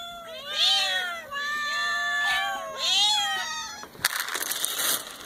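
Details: Kittens meowing in a series of loud, arched, nasal meows about once a second, some overlapping, followed by a burst of scraping, rustling noise in the last second.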